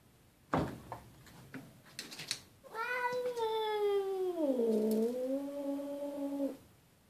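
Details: Boots, an indoor cat, fighting a visiting neighbourhood cat through a glass door: a few sharp knocks, then a long harmonic yowl that dips in pitch midway and holds steady before stopping abruptly.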